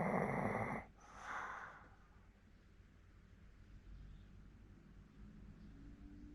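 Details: Fourteen-year-old Hokkaido dog snoring in Sapporo, Japan: one loud, broad rasping snore in the first second, a softer second breath soon after, then quiet low breathing.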